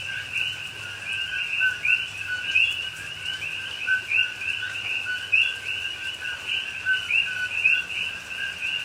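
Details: Coqui frogs in a Hawaii rainforest at night during rain, Pahoa, October 2021; a steady wall of high, rising two-note whistles from several frogs overlaps without pause, with light rain sound in the background.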